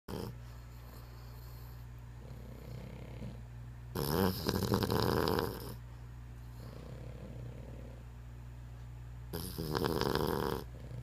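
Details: Dog named Spud snoring indoors: loud, rasping snores roughly every five seconds, each lasting over a second, with quieter steady breathing in between.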